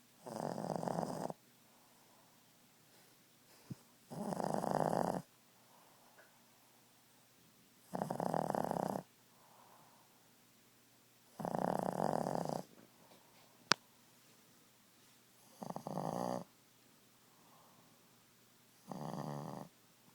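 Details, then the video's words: Ziggie, a Boston Terrier, snoring at nap time indoors: six loud, rasping snores, each about a second long, spaced roughly every three and a half seconds with near silence between, plus one sharp click midway. "Snoring boston beauty."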